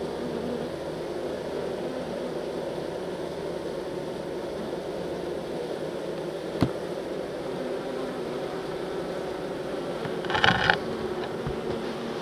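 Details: A continuous low drone of honey bees during transfer from nuc to hive, broken by a sharp knock midway and a brief clatter of handling noise near the end.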